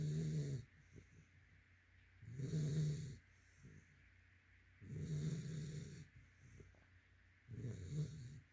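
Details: Heavy rhythmic snoring from a sleeping yellow-white Labrador Retriever, four rattling low breaths at steady intervals of roughly two and a half seconds, light wheezy exhalations between.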